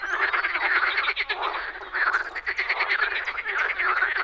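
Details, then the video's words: Spring frog chorus from a Czech pond, loud overlapping croaks made of fast rattling pulses, rising and falling in short surges about twice a second, many callers together. "European frog calls"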